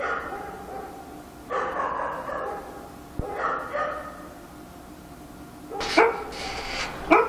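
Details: Dog barking at night in Korea: scattered harsh, hoarse barks, some drawn out and noisy, separated by quiet gaps, with two sharper yaps near the end.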